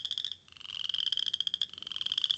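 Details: A Western chorus frog, heard in the Mont Saint-Hilaire biosphere region of Quebec, gives a rapid, high, cricket-like trill of closely spaced pulses, easily confused with insects such as grasshoppers.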